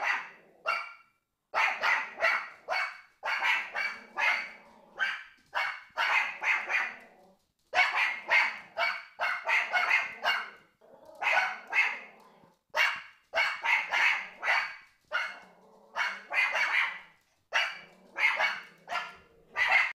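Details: Continuous high, sharp yapping from the Pomeranians Prince and Fifi, rapid barks packed in long runs with only brief gaps, some overlapping as both dogs bark together.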